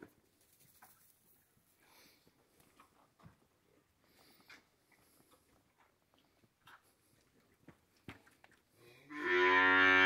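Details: A cow in a corral on a morning of hand milking, with calves suckling their mothers. Quiet soft knocks and rustles, then a loud, deep, harmonic moo bursts in during the final second.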